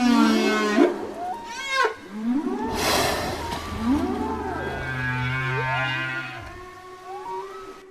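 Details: Whales singing to communicate: swooping arched moans rising and falling, a noisy broadband burst near the middle, then a long steady low drone with a higher tonal whine above.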